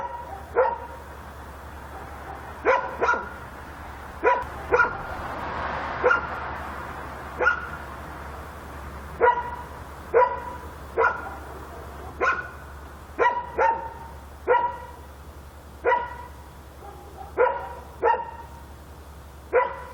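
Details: Persistent night barking by a dog in Korea: short sharp barks, often in pairs, repeating every second or so for the whole stretch, with a brief rushing swell of noise midway and a low hum beneath.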